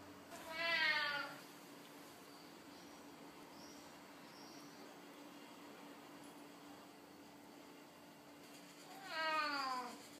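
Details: Royal Siamese tomcat pleading with a sweet voice: two clear, drawn-out meows sliding downward in pitch, nearly eight seconds apart, separated by low indoor hum.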